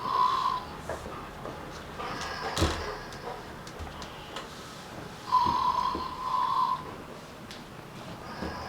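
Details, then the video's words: Snoring sheep indoors: wheezy, whistle-like tones hold one steady pitch for about a second and return a few times, mixed with soft snorts, faint clicks and quiet room noise. "Flanna und das schnarchende Schaf / Flanna and the snoring sheep"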